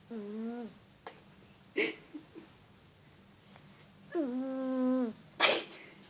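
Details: Cute snoring from a cat. Whistling, droning snores open and close the stretch about four seconds apart, with short breathy snorts and sniffs between them. A low hum plays in the background.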